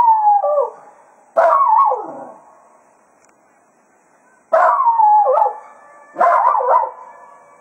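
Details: Jack Russell Terrier Cato serenades the hounds at Quail Roost after foxhunting. Four wavering howls of about one second each come in two pairs, each starting abruptly and bending down in pitch, with quiet gaps between.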